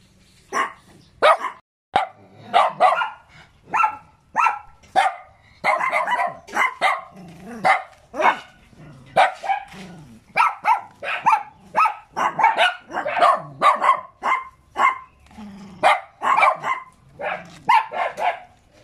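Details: Cute little dog barking in fast, almost continuous bursts, sharp yaps with bright harmonics repeated several times a second, a few brief pauses between runs.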